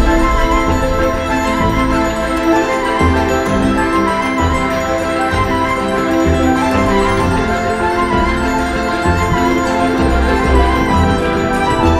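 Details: Steady orchestral background music with sustained tones and no animal calls.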